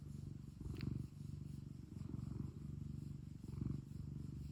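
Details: Domestic pet cat purring at home, a low rumbling vibration swelling and easing in breathing cycles about every one and a half seconds, with one faint brief click early on.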